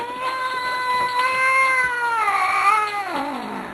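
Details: Grumpy pet Manx cat giving one sustained moaning yowl that holds steady, then bends upward and drops away near the end, indoors while its owner coaxes it to talk.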